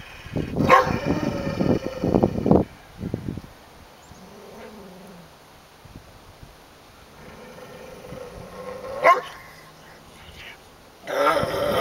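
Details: A dog guarding and hoarding a deer carcass, not sharing: a burst of rapid harsh barks over the first two and a half seconds, then low drawn-out growling and whining rumbles, a sharp bark near nine seconds and a final harsh outburst.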